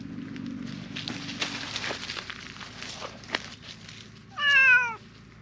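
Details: Silver tabby cat in a park calling loudly as if asking for something: a single clear meow, rising then dipping, after several seconds of rustling and soft knocks.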